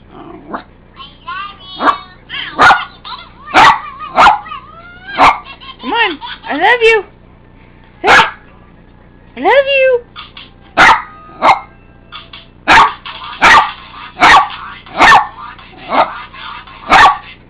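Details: Pet dog barking at annoying phone ringtones: loud, sharp single barks repeated roughly every half second to second, over a warbling electronic ringtone melody, with a woman speaking affectionately in between.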